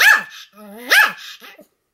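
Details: Pomeranian dog barking nonstop indoors, 7 October 2015: two loud sharp barks with a rising whine-like tone between them, fading into a faint yelp.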